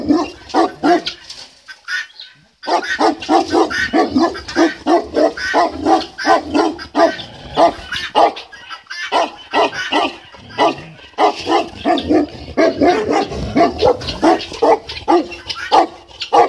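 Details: Tibetan Mastiff filmed in Kraljevo, Serbia, barking in a steady run of deep, booming woofs, roughly one or two each second, after a short pause near the start.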